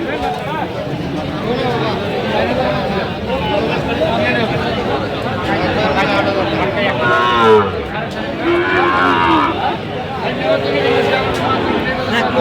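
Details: Sahiwal bull calves at a cattle market in Aftabganj, Mymensingh, Bangladesh, on 27 September 2025: low moos rise amid constant crowd chatter and men haggling over prices, with a brief burst of music at the start.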